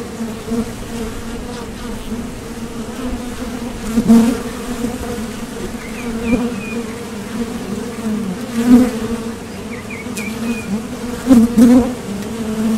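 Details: Honeybee foragers buzz at the entrance of a Top Bar Hive as they depart and land, a constant low hum punctuated by three loud close passes, with brief high chirps from a bird in the background.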